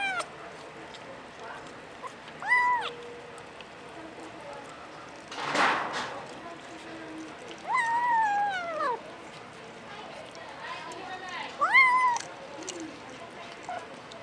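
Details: Puspin kitten, a Domestic Short Hair in the Philippines, making funny sounds: four separate meows spread across the recording, short arched cries and one longer falling wail, plus a brief rustling thump midway.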